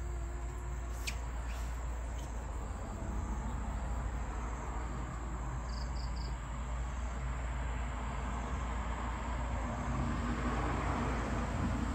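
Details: A steady low rumble fills the whole recording, like a passing vehicle or train, with faint hiss and a brief high tonal blip; no animal sounds are heard.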